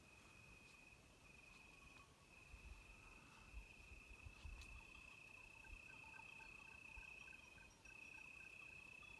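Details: Cicadas drone steadily at high pitch, unbroken, outside a villa at night in the dark, with faint tinkling sheep bells and low rumbles beneath.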